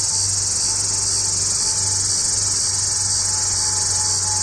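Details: Hadoa duryi cicada singing from deep inside a cluster of juniper trees a few miles south of Walsenburg, Colorado, on July 2, 2012 at 2:38 pm, overcast after sun; steady high unbroken buzzing hiss throughout.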